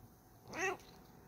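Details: A talkative, friendly Bengal cat gives a single short, rising-then-falling meow in the morning, replying to a spoken "good morning".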